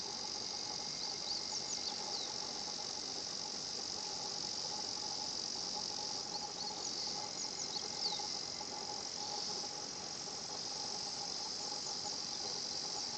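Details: Higurashi cicadas at 新発地庵: a sustained, shrill high chorus with repeated short sliding notes at intervals over the steady buzz and a faint lower tone beneath.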